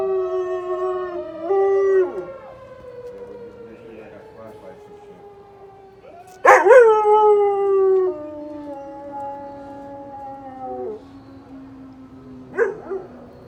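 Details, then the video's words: Domestic dog howling along with a weekly tornado siren, heard Saturdays around noon; long wavering howls rise sharply then slide downward, with loud bursts near the middle and end, over the steady drone of the siren. "dog howling tornado siren"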